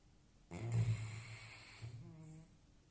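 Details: A sleeping Labrador puppy gives one low, rough snore lasting about a second and a half, followed by a brief faint higher nasal tone as the breath ends, in a quiet indoor space.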